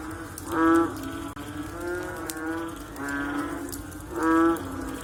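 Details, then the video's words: Chorus of frogs after rain, with deep droning moo-like calls rising and falling in loudness. Two strong bellows stand out near the start and end above a continuous hum of other callers. "Sound After Rain With Sound of Frog / Bunyi Selepas Hujan Pakej Bunyi Katak"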